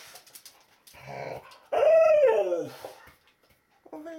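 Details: Rocky, a pet Akita mix, greets the early morning with an unusual cry of joy. A soft whimper leads into a loud, harmonic whine that arches up and falls over about a second, then a brief high whine.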